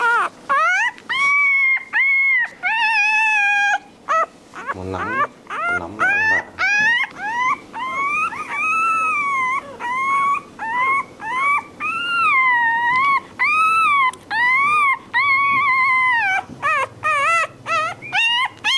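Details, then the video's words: A crying puppy gives a dense run of high whines, each arching up and dropping back, tumbling out close together with short pauses, over a low background hum. "Tiếng con chó con kêu khóc Ư Ử |puppy crying"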